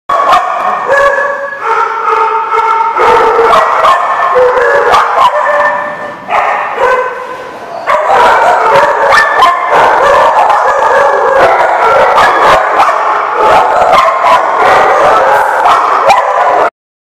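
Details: Dogs at a dog lot, recorded on 28 March 2015, barking loudly and almost nonstop. Several overlapping voices give sharp, harmonically rich barks, with a short lull around the six-second mark before the din resumes.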